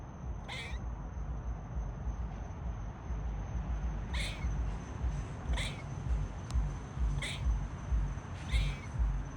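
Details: Squirrel barking as a warning to other squirrels about danger or a territorial threat: five short, sharp chirping barks roughly every one and a half seconds over a steady low rumble of background noise.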